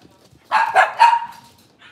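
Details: Cavalier King Charles Spaniel indoors on a kitchen cam at a breeder's home on a cloudy Monday morning: two quick barks followed by a drawn-out yelping tone that fades, with a quiet room behind.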